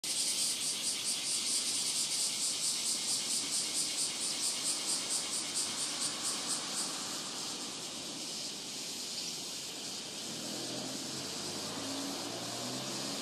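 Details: Robust cicada singing at Rokugo Shrine in Ota, Tokyo, in a year when cicadas began calling around 20 July, recorded on a Sony PCM-M10. A shrill, pulsing buzz throbs rapidly for about seven seconds, then fades to a steadier hiss.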